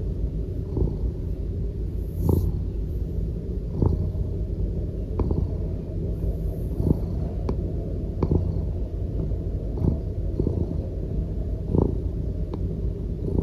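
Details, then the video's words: A Norwegian Forest Cat purrs steadily while lounging contentedly on its owner, a deep continuous rumble that swells softly with each breath. "飼い主の上でゴロゴロと気持ちよさそうにくつろぐ甘えん坊猫 ノルウェージャンフォレストキャット"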